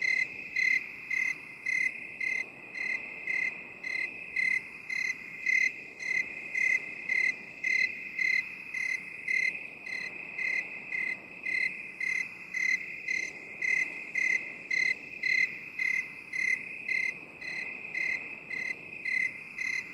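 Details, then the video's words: Long steady cricket chorus from a binaural 8D relaxation recording: around thirty-six bright chirps at a regular pace of about two per second, layered on an unbroken shrill ringing background. "8D CRICKET SOUND"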